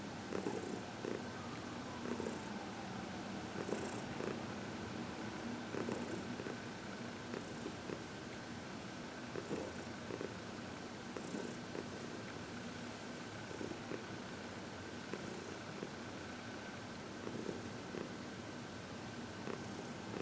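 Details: Contented purring from Heidi, a senior female cat aged 14, while receiving massage and reiki indoors in February 2021; continuous low, throbbing rumble with regular soft pulses and faint background hum.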